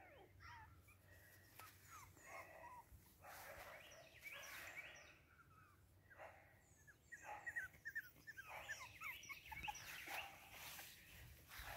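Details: Wiggle's litter of Boston Terrier puppies: a busy overlapping chorus of thin, high-pitched squeaks and whines, some bent downward, coming in clusters that grow denser and louder toward the end, with a faint low hum beneath.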